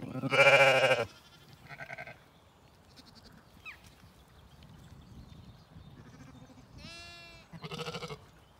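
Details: Zwartbles lambs and ewes at evening feeding on a regenerative County Kilkenny farm in Ireland, lamb BigEars among them. A loud, rich, harmonic bleat opens, then shorter, quieter bleats, and later a thin quavering cry over soft munching and rustle.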